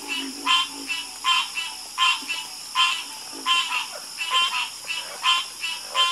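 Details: Loud, close frog croaks, each a grating burst, often paired, recurring at a fairly steady pace of over one per second, while other frogs and a high steady buzz fill the background.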